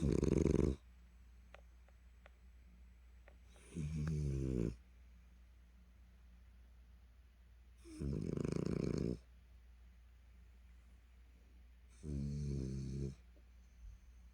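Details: French Bulldog named Dari, tired and collapsed after a cherry-blossom walk at the Suwonji reservoir in Daesin Park, Seo-gu, Busan, snoring heavily indoors: four loud rasping snores about every four seconds, each roughly a second long, quiet between.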